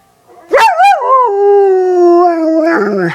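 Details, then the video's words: A dog howls along to a video of another dog howling: a few rising yelps, then a long, steady, slightly falling howl. "Dog howling to favorite dog howling video"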